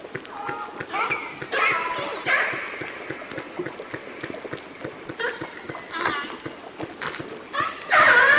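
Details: Orcas in British Columbia give bright, harmonic calls, some sweeping up and down in pitch, others buzzy and pulsed, while a vessel passing very close fills the background with constant churning rumble and rapid ticking, illustrating underwater noise.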